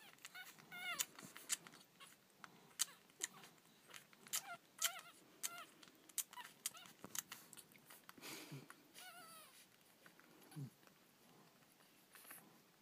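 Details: Three-day-old Miniature Schnauzer puppies from a litter of five, nursing from their white mother, give thin, high squeaks and brief whimpers among soft clicks and rustles.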